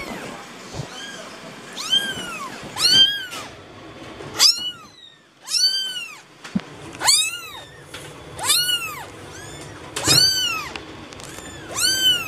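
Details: Shrill, arching cat mews, kitten-like, repeated every one to one and a half seconds, about eleven in total, each short with bright upper harmonics, over a quiet background with faint clicks.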